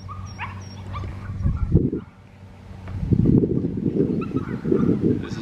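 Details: German Shepherd puppies, a litter including six boys, give short squeaky yips and whimpers over a steady low rumble, with a louder burst of scuffling calls near the end.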